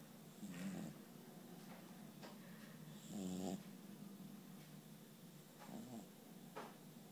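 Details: Cat snoring while asleep: a few short, rattling, buzzy snores come irregularly, two of them clearer than the rest, over a steady low hiss with faint breathing sounds in a quiet room.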